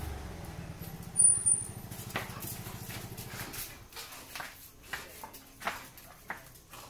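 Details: Rottweiler growling while playing tug of war with a toy; a low, rumbling, pulsed growl lasts about three seconds, followed by human speech and light rustling.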